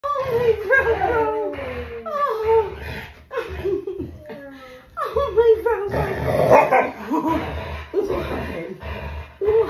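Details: Alaskan Malamute, with a husky also present, vocalizing while being hugged: wavering, rising and falling howl-like moans repeated through the clip, overlapping with human speech and laughter.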